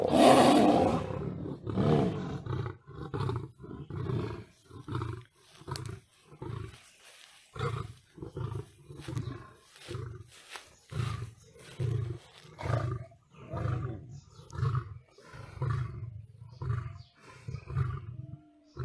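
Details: Lion (Panthera leo) fighting a tiger: deep, rasping roars and snarls burst out again and again in quick, uneven pulses.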